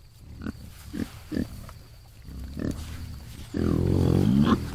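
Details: Feral hogs in the morning, giving short low grunts in an irregular series, then a louder, longer squealing grunt near the end over a steady low rumble of background noise.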